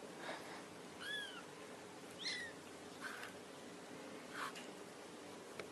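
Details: Cat calling to kittens indoors: thin, high-pitched mews that slide downward, two clear ones roughly a second apart, with faint scattered rustles and soft clicks against a low background hiss.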